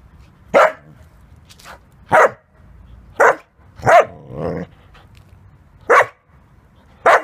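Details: Halo, a 7.5-month-old male Samoyed in puberty, barks to get someone to play with him: six short, sharp barks spaced irregularly over seven seconds, with a brief softer whine-like sound after the fourth bark and a quiet background.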